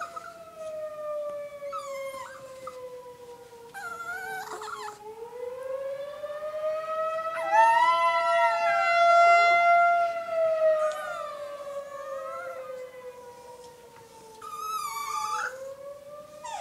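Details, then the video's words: Chihuahua freaking out over a tornado siren, howling along with the long wavering siren tone that rises and falls over many seconds; high yelping howls break in near the start and again toward the end. "Chihuahua freaking out over tornado siren."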